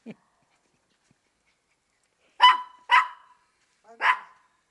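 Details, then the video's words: Maltese female at play in a chasing game, watching under a car for her playmate's feet so she is not caught; a brief soft sound, then three crisp barks, the first two quick, the last after a second's gap. "un des jeux préférés de mon bichon maltais"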